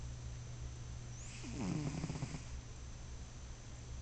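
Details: Sleeping cat named Bruschi gives one drawn-out snore, a low fluttering rattle lasting about a second, set against a constant low background hum.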